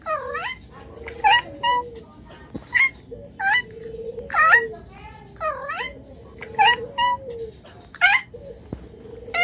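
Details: Domestic cat meowing indoors, a string of about nine short rising-falling harmonic meows spaced roughly a second apart, over a steady low tonal hum, with a person speaking softly and a few faint clicks.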